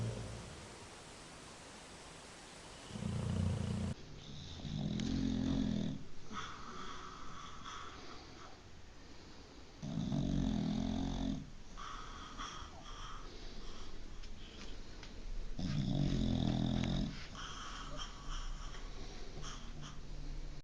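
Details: Loud snoring from a dog asleep indoors, with low, rough snorts repeating at uneven gaps of two to six seconds, some breaths doubled. A faint higher-pitched household hum runs beneath.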